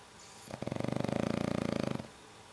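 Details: Kento, a black pug, asleep and snoring: a single rattling snore of rapid, evenly pulsed vibrations lasting about one and a half seconds, steady in loudness, then quiet room tone before and after.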